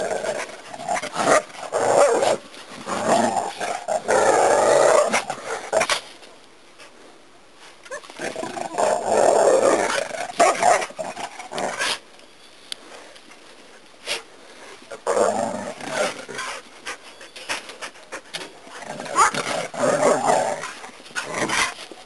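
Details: Two dogs play fighting at a ranch in August 2012, one growling loudly. Rough, rasping growl bursts last several seconds each, separated by quieter pauses, with scuffling noise throughout.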